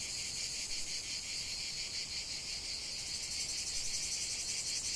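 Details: Cicadas singing in a lavender field: a dense, continuous high buzzing with a fast pulsing texture, steady throughout.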